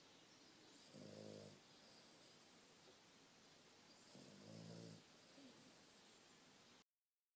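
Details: Dreaming Boston Terrier snoring in its sleep, phone-recorded indoors and described as very loud in person: two rough, droning snores spaced about three seconds apart, with faint airy breaths between them before the sound cuts off.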